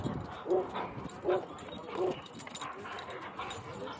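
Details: Doberman barking at a busy dog park: three mid-pitched barks about three-quarters of a second apart, followed by fainter barking and yips from other dogs, with voices in the background.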